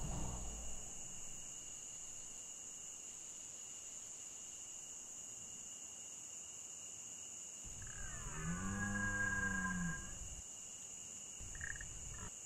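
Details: At nightfall in the Pyrenees between Ariège and Haute-Garonne, in September–October, a large red deer stag lying down gives a single low, rough rutting bellow with overtones, opening the rut; steady high hiss, brief sound near the end.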